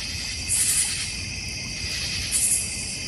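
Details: Backyard crickets in the North Georgia Mountains beside a koi and goldfish pond: continuous shrill trilling in stacked high bands, with two brief louder buzzy pulses about two seconds apart over faint low background rumble.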